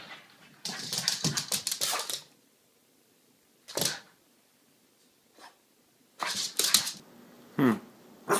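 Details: Kermit, a pet French Bulldog, excited about the weekend arriving, indoors; bursts of snuffly, breathy snorts and short yips in clusters, with quiet gaps between them.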